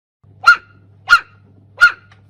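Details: Tiny abandoned puppy with a swollen head and suspected hydrocephalus, found in a trash bin, crying in pain. Three sharp, high, yelping cries, evenly spaced about two-thirds of a second apart, over a faint low hum.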